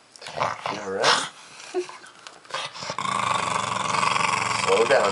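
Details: A pug named Milo eating a pumpkin squash at Halloween, with talking over the first half, then a steady, rumbling growl over the last two seconds.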